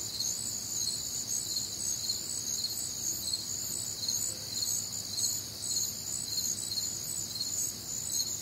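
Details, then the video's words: On a humid, warm Midwestern summer night, many crickets chirp together, rhythmic high pulses near two per second riding on a constant ringing insect drone. "Night Time Cricket Sounds"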